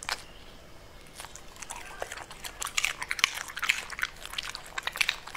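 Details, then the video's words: A Pembroke Welsh Corgi munching purple cabbage, starting with softer chews that build into loud, rapid crunching, roughly two bites a second, sharp and crackly. "Cute Pembroke Welsh Corgi Eating Purple Cabbage"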